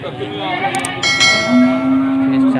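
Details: Male goats for sale before Qurban at Pasar Wage market, Panggul, Trenggalek, Indonesia, on 18 May 2020; after a noisy start, one steady, droning bleat holds on a single low pitch for about a second amid market chatter.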